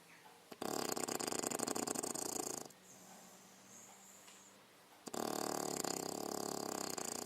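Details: Female English Bulldog aged six months, asleep and snoring: loud gravelly, fluttering breaths of about two seconds, a pause with a faint high whine, then another rattling snore begins.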